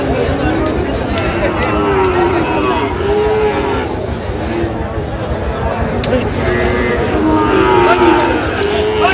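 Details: Market-day lowing of Sahiwal bull calves in Gaibandha, Bangladesh, November 2025: several long mid-pitched moos, some wavering, recur over constant crowd chatter and nearby voices, with occasional sharp clicks and knocks.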